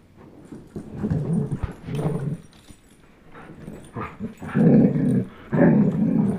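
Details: Growling during a tug-of-war game between Chase, a German Shepherd aged 10.5 months, and Blizzard, a one-year-old Old English Sheepdog; low rumbles build from moderate bursts to two loud, sustained growls near the end.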